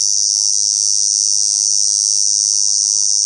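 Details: A Ko-ezo-zemi cicada (Lyristes bihamatus), apparently severely weak, gives a loud, steady, high-pitched buzz with slight pulsing, by a roadside around noon in mid-August 2022.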